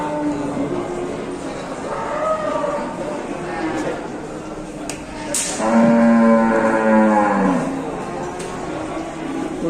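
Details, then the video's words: Big horned cattle being unloaded from a truck at an Indonesian livestock site. A short moo near two seconds, then a louder, drawn-out, slightly wavering bellow over background music and people's chatter. "PENURUNAN SAPI TERBESAR"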